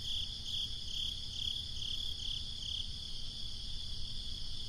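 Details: Summer-night crickets give evenly spaced high chirps, about two or three per second, over a soft breezy low-frequency background.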